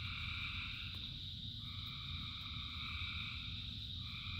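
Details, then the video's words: Thousands of frogs singing in the rain form an unbroken, many-layered droning trill, higher voices shifting in and out over a steady low roar of falling rain; no other sounds stand out. "Frogs in Rain 2 Hours of Frogs, Thousands of Frogs Singing"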